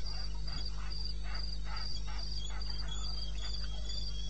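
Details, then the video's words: Wilderness of eastern Botswana at night, 21 May, 2:30 am: a cricket chirps rapidly and evenly at a high pitch while softer rasping pulses from other insects rise and fall beneath, over a low hum. "1 Hour cricket sound"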